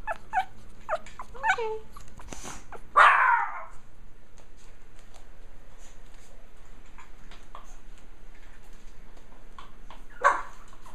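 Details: Japanese Chin puppies from one litter at play: thin, high whimpering yips in the first two seconds, a harsher bark-like burst near three seconds, then near quiet with faint scuffling and one final yip close to the end.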